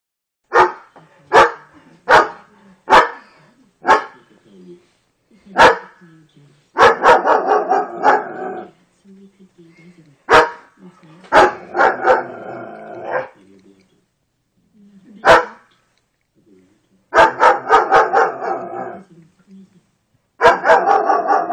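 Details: A German Shepherd barking at an electrical socket gives a run of sharp, single barks spaced about a second apart, with a person talking.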